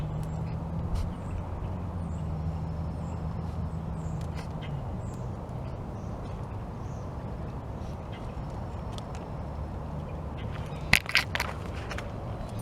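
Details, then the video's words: Norwegian Forest Cat named Purrnicus sneezing indoors: a steady low hum fills most of the recording, then near the end comes a sharp, noisy burst of a sneeze followed by a couple of smaller snuffling bursts. "SNEEZING CAT | Norwegian Forest Cat"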